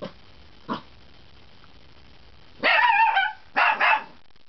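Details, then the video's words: Young puppy barking for the first time: a couple of faint soft sounds, then a drawn-out yappy bark followed by a quick double bark, with quiet background. "My Pup's first barks!"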